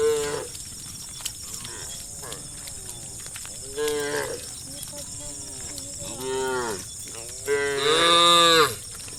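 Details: Dozens of tame cows running and jumping down a green hillside low in turn, with long harmonic moos that rise and fall.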